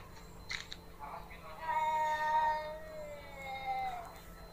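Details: Pet cats fighting: a few brief knocks, then a steady, drawn-out, moaning yowl at level pitch that swells and fades, with faint scuffling behind it.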